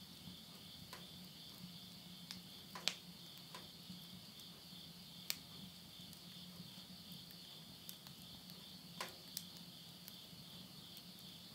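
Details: Late-summer night in rural Tottori, Japan, September 2020: a continuous high, even insect trill fills the background at midnight while firewood in a stove snaps and crackles every few seconds over a faint low hum.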